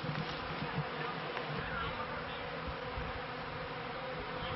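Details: Kept honey bees at the turn of the 1995–1996 beekeeping season, on their first day flying high to collect pollen; a dense, continuous buzzing drone fills the clip, steady and unbroken throughout.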